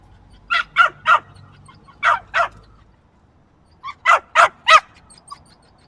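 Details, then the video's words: Small yappy dog barking: sharp, high yaps in quick bursts of three, then two, then four, with short quiet gaps between the bursts and no other clear sounds. "Small Yappy Dog Barking"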